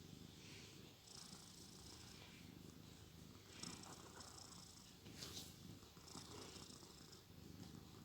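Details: Sleeping cat named Shandy snores softly, a continuous low rasp with a hissing exhale rising every couple of seconds, a faint sharp click near the middle.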